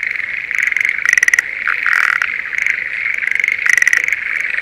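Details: Spring paddy-field chorus of Schlegel's green tree frogs near Sendai, Japan, in the mating season: overlapping high trills form a continuous drone, and loud rapid rattling bursts stand out around one and four seconds.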